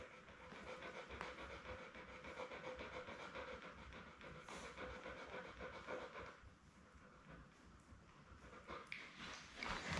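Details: Belle, a Labrador Retriever, with her litter of seven puppies born May 24, 2021, on a live camera on June 4: quick rhythmic panting, about three to four breaths a second, quieter after six seconds, then louder rustling.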